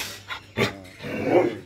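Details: Doberman dog barking: two short sharp barks in quick succession, then a longer, lower drawn-out growling whine, with a quiet room background.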